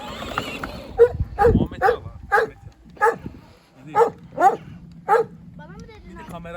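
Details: Kangal shepherd dog on a farm in Turkey barking in a series of about nine short, fairly regular barks roughly every half second, with a person speaking at the start and a child's voice near the end.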